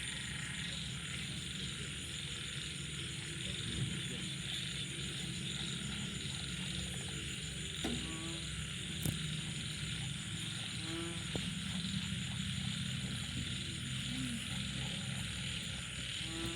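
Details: Frogs, small frogs and banded bullfrogs in the night after rain. A low rumbling chorus runs under occasional quick rattling chirp series spaced several seconds apart, plus faint short notes, all over continuous high cricket-like trilling.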